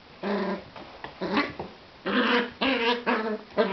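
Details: Jack Russell Terrier puppy indoors playing with a cat: a series of short, tonal whiny growls and yelps with strong overtones, about six bursts in under four seconds, some rising and falling, loud and close.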